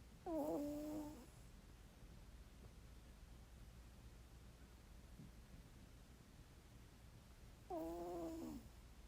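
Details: Sleeping dog snoring indoors, two short whistling nasal snores with a wavering tone about seven seconds apart, near silence between them.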